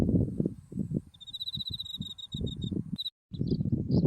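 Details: Autumn insects calling near a white buckwheat field below Mount Tsukuba: a sustained high pulsed trill, then a few isolated chirps, with low wind buffeting and a brief dropout.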